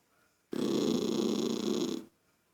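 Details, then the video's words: Indoor pet toy poodle Lucky, annoyed at a child making noise, gives one sustained, harsh, buzzing growl of about a second and a half with an even level and a sudden start and stop, in a quiet room. "Poodle irritado com a criança fazendo. Barulho"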